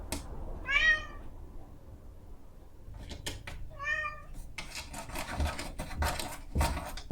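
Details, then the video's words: Pet cat, a female, pleading for her morning breakfast at seven o'clock, Zoom H5 recording: two short, bright meows three seconds apart, followed by a stretch of repeated scratching and knocking on a door. "Cat Scratching Door Sound Effect"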